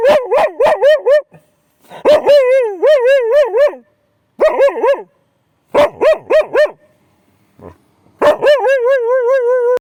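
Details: At night an Akita reacts fiercely to a railway crossing, giving bursts of quick yelping barks that bend into short wavering howls, several bouts separated by brief pauses, ending in a longer, steadier howl.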